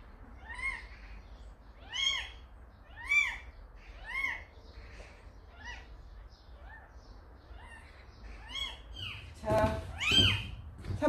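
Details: Repeated thin, arched meows from a kitten that its calico mother cat left at a house, coming roughly once a second, ending with a louder harsh cry and handling noise.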